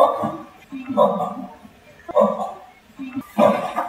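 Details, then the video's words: A pair of radiated tortoises mating at Cologne Zoo's Madagascar house. Low, throaty, groaning calls come in four bursts about a second apart, each a hoarse moan with quieter rasps between. "TURTLE MATING Funny Noise"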